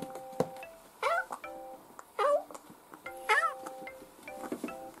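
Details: Kitten Dufy, a house cat aged two to ten months, meows three times at roughly one-second intervals, each a bending, wavering cry, with a fainter meow near the end. Gentle music with sustained notes runs underneath.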